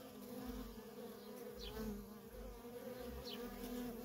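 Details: Constant humming of many worker honey bees coming and going at a feral colony, a dense low drone with slight wavering in pitch and loudness, plus a couple of short faint high squeaks.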